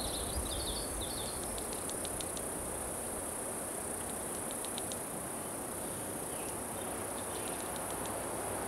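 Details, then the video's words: Cicada chorus from 26 June 2013 with Putnam's cicada, Okanagana bella and an unknown circular-saw-sounding species. A sustained high buzz continues unbroken; brief twittering bird chirps appear early, with faint clicks over steady background hiss. "unknown cicada (?) sound"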